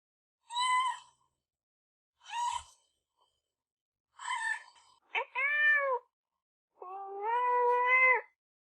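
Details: Pet kitten mewing: three short high cries, then a lower falling meow and a long steady drawn-out mew near the end, all clean with no background noise.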